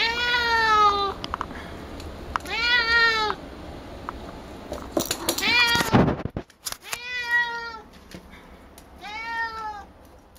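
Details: Female house cat Picchi talks eagerly at a ball of her own brushed-out fur. She gives four clear, drawn-out harmonic meows, two at the start and two near the end, with a loud rustling clatter in between.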